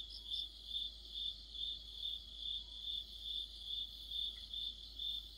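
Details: Crickets and other insects in an autumn orchestra: evenly spaced high chirps, roughly two per second, over a faint continuous shimmer of other callers and low background hum.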